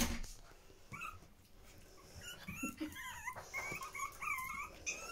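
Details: Young Pomeranian puppies beside their mother Yee Yee, indoors. Quiet rustling opens the recording, then thin, bending squeals and whimpers rise and fall in short bursts over the last three seconds.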